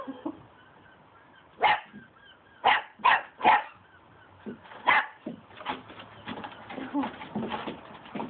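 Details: A Cocker Spaniel confronting a broom handle gives short, sharp barks in quick bursts, followed by softer yips and grumbles.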